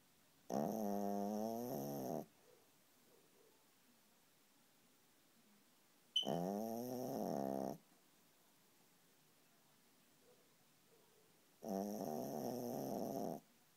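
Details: Sleeping dog snoring steadily, each harsh, throaty, rising-and-falling snore lasting about a second and a half and returning roughly every five to six seconds, three snores in all against a quiet room.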